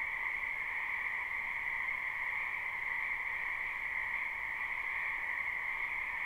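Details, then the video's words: Dense croaking of many frogs in a wetland during spring, recorded live: an even, ringing high-pitched hum of overlapping calls that holds steady throughout. "Ambient Noise for Sleep Frogs"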